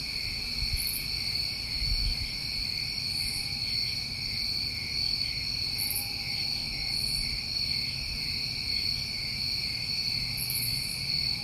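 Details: A dense cricket chorus from a summer night in New England rings steadily in high bands, with separate very high chirping bursts popping up every couple of seconds and low rumbling noise underneath.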